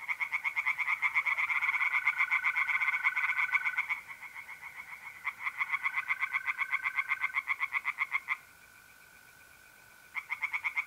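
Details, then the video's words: Singing tree frogs in a north-east Italian pond on an April night: long runs of rapid, rattling croaks broken by short gaps where only the smooth, unbroken trill of mole crickets remains. "relaxing singing tree frogs in pond and trilling mole crickets by night"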